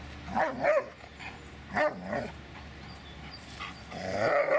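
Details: Dobermann named Magmar Von Der Burgstätte barking in quick bursts: paired sharp barks near the start, another pair near two seconds, then a longer rising bark run at the end over light background hum.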